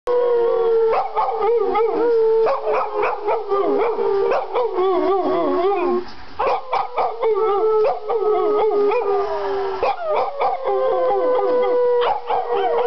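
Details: A female dog howls along with people singing with her, giving long, wavering, drawn-out tones joined by the human voices howling.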